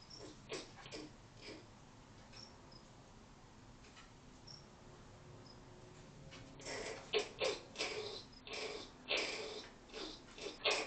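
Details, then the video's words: Camera-trap recording of a female ground cuscus, Phalanger gymnotis, with her female joey: quiet start, then from about seven seconds a run of harsh, breathy broadband bursts repeated roughly every half second, with faint high insect-like tones behind. "Vocalisation of Ground Cuscus"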